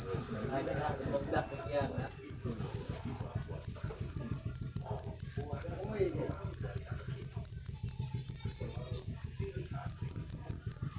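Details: Cricket chirping steadily, sharp high pulses repeated a little over twice per second, with faint low murmuring and clatter beneath.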